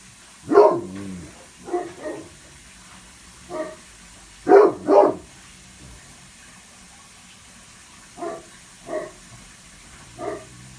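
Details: Great Pyrenees pair, Blanche and Lee, keeping guard at second-floor bay windows facing west and east; scattered deep barks, a loud double bark midway, softer single woofs spaced about a second apart afterwards.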